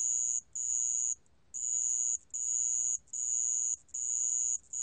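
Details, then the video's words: A high, shrill, even trill from a sand cricket, in a 2020 recording from the National Institute of Biological Resources. Sustained bursts run for nearly a second, separated by short gaps, with near silence behind. "모래방울벌레, 여러번 듣기, 곤충소리"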